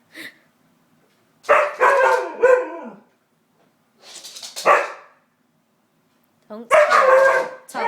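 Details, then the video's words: Pet white husky named Samson vocalising indoors against the hoover: three bursts of rough, harmonic woo-woo barks with wavering pitch, separated by short pauses, mixed with a person's voice telling someone to put it away. "Samson does not like the Hoover haha"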